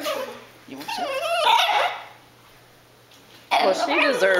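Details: Cassie, a pet dog begging for food her owners are eating, gives wavering, whiny vocal sounds in two bursts separated by a quiet gap, with people talking nearby indoors.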